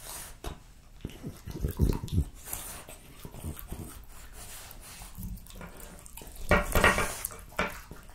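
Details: French Bulldog Jessica finishing her plate of raw lamb cutlets, beef schnitzel and BBQ pulled pork. Low, throaty snorting grunts come in bursts near the start and end, between bouts of wet chewing.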